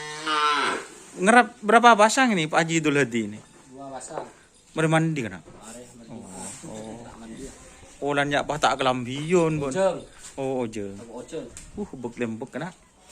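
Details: Cattle at a training ground being prepared for a karapan sapi bull race event in Indonesia; a series of loud, harmonic, wavering moos, some long and some short, follow one another closely, with a man's speech in between.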